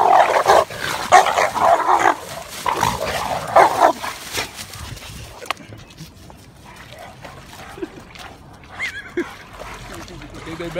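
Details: Italian and French mastiffs barking in a rapid burst of loud, repeated barks through the first four seconds, then quiet rustling and faint scattered sounds.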